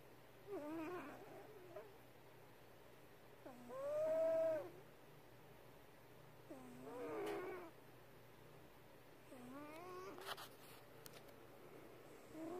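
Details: Sleeping pet cat Porkchop gives uneven snores, some soft and breathy, one loud squeaky whistled tone, with faint clicking rustles between breaths.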